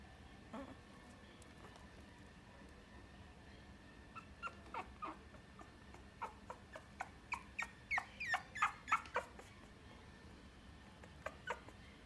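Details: A Chihuahua × Papillon cross dog at a pet shop gives soft, high, squeaky yips and whimpers. They come scattered at first, then bunch into a quick run of sharp notes near the end, over a steady low background hum.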